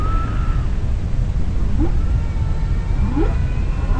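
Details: Humpback whale singing underwater: a few short tonal notes, including brief upward-sweeping whoops and a thin high held tone, over a steady low rumbling sea noise.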